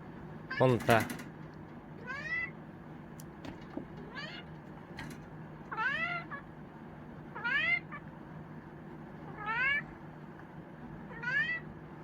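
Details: Ponta, a pet Chinchilla cat in Japan, meows in a loud burst and then about every 1.5 seconds, each meow rising then falling, with a woman's voice asking what is wrong and a steady low hum indoors.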